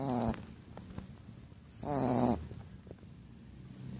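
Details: Female Shar Pei asleep and snoring; two rasping, buzzy snore bursts about two seconds apart, with a soft low rumble of breathing between them in a quiet room.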